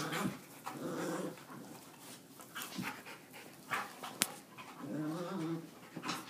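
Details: Several dogs playing indoors: short rough growls and grumbling bursts, a throaty growl near one second and a longer rumbling growl around five seconds, mixed with panting, scuffling and a sharp click.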